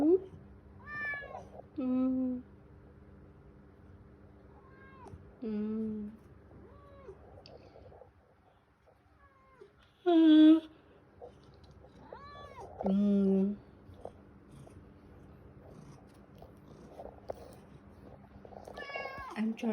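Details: Male house cat meowing persistently each morning for attention and cuddles while its owner uses a phone; repeated short and long meows, several sharply rising then falling, spaced a few seconds apart, with a woman greeting and talking between them.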